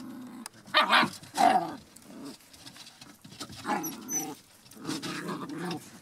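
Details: A litter of 7½-week-old Border Collie puppies making brief yelping yips and low growly sounds in two clusters, separated by a quieter stretch of shuffling.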